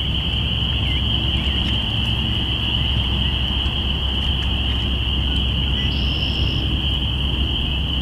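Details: Chorus of spring peepers marking the start of spring, April 5, 2017, binaural recording. Massed high piping peeps blend into a continuous shrill drone, and a brief higher whistle sounds near the end over a low background rumble.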